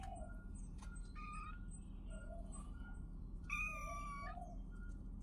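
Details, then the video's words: A kitten lets out one loud, sustained, high-pitched meow lasting nearly a second, preceded by softer short squeaks, over a low background hum and a repeating faint beeping tone. "cute kittens and sounds"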